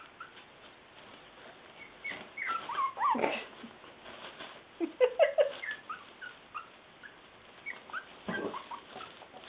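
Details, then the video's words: Five-week-old West Highland White Terrier puppies attacking their puppy pad; scattered short high whimpers and yips in irregular bursts, some sliding downward, with rustling and scuffling between. "Westie Puppies"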